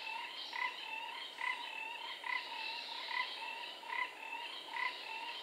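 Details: Repeated grating call notes of the four-ridged toad at a Singapore forest pool, recorded 15 November 2014, spaced close to a second apart and fairly even, with a continuous thin insect drone in the background.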